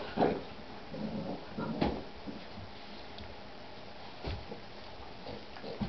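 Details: Boston bulldog and Shar-Pei mix puppy at play, giving scattered short whimpers and soft yips with brief low growly bursts, loudest near the start and around the two-second mark, over a quiet indoor background.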